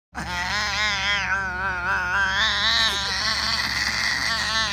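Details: Lily, a pet cat known for singing, gives one long continuous wavering yowl, its wobbling harmonic tone rising and dipping in a vibrato-like pattern for nearly five seconds without a break.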